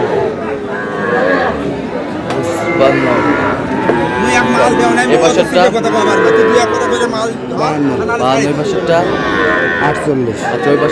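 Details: Sahiwal cattle at a cattle market in Kurigram, Bangladesh, where a Sahiwal bull is bought; drawn-out harmonic moos rise and fall over a steady din of men's chatter and crowd noise.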